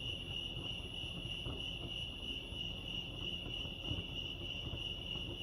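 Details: Lake Arrowhead crickets in California produce a continuous high, pulsing trill at a steady pitch, with low rumbling ambience and a few faint knocks beneath.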